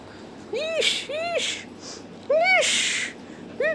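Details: Golden Retriever dog, a pet, giving short tonal yelping whines that rise and fall, four of them within about three seconds, separated by bursts of breathy hissing noise.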